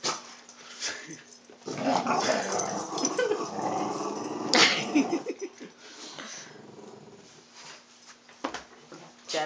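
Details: Pet dogs playing tug of war at home while an old hound gets annoyed; a rough, rumbling growl swells through the middle seconds over a constant low hum, with a person talking and praising the dogs throughout.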